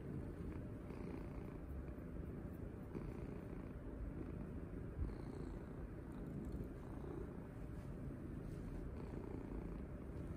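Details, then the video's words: Cuddled house cat purring contentedly while petted; a dense, even, low-pitched rumble sustained for the whole stretch, with only faint occasional rustling on top. "Daily Cuddle and Cat Purring Routine"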